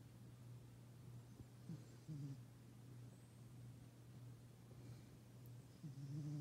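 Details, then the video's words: Bandit, a black Bombay cat, sleeping and snoring loudly, with soft, low rasping breaths near 2 and 6 seconds over a steady low indoor hum. "Snoring Black Cat"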